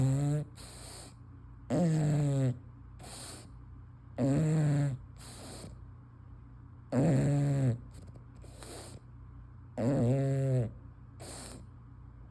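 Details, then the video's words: English Bulldog, a female, asleep with her tongue hanging out, snoring loudly: rattly, low, harmonic snores about every two to three seconds. Short hissing breaths fall between them over a steady low hum. "Snoring English Bulldog"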